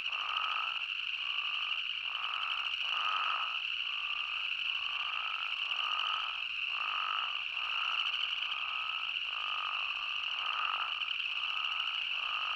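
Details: Spadefoot toads in Arizona call with brief, nasal bleats, each less than a second apart and overlapping from several callers, over a constant high-pitched buzzing drone.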